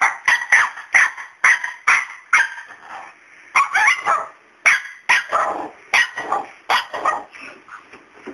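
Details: Pet dog barking at a cat named Miracle, who stays unafraid of him: sharp broadband barks in quick runs of two or three, about every half second, with a short pause midway.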